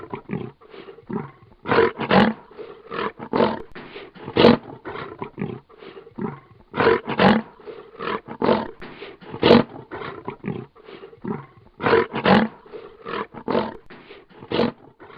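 A lion growls in deep, rasping bursts repeated every few seconds.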